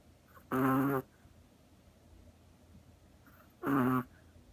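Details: Two loud, harsh, droning snorts about three seconds apart come from a Chihuahua sleeping deeply on a lap like a cat, with quiet between them.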